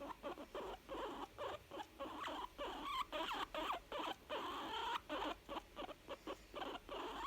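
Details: Pleased young female guinea pig chuttering in contentment, rapid breathy pulses nearly three per second, broken by a few small whistly squeaks and a rising wavering note midway.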